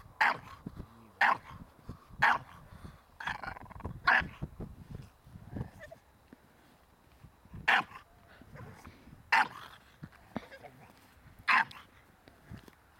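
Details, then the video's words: Ares, a Staffordshire Bull Terrier puppy being trained in protection work, delivers quick clusters of barks, then a pause with rustling and scuffling before further single barks every couple of seconds. "Staffordshire bullterrier - puppy protection training"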